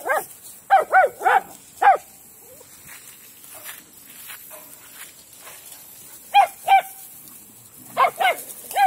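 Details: A group of pet dogs at playtime outdoors in a spacious yard: short volleys of two to four ringing barks, separated by several seconds of quiet, repeated three times.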